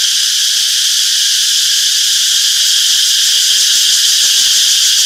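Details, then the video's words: Cicadas in a peaceful summer forest keep up a constant piercing buzz, high and even, swelling very slightly near the end, with no gaps and no competing sounds. "Relaxing Cicadas Chirping Sounds - Peaceful Summer Forest"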